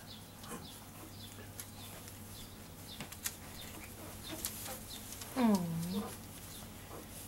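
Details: Newborn Basset Hound puppies, a litter of six females and two males born May 25, 2015, nursing just a few hours after birth; one brief squealing whine rises then dips, over soft suckling clicks and a steady low hum.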